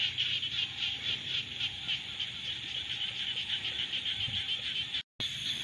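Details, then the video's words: Rainy-season frog chorus, a steady wall of shrill, fast-pulsed calls from many frogs at once, briefly cut out for a moment near the end before resuming. "សំឡេងកង្កែបយំនារដូវវស្សា | The sound of frogs in the rainy season"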